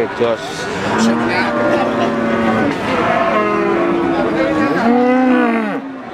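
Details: Cattle at the Wagenan cattle market in Pati, Central Java, Indonesia, in March 2019; several long, drawn-out lowing moos overlap, steady and tonal, some bending downward at their ends, over market chatter and a background hum.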